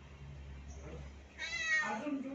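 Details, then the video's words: Kitten with its mother, one bright rising-then-falling meow with stacked harmonics in the second half, preceded by quiet room hum and faint speech. "cute kittens and their Mom"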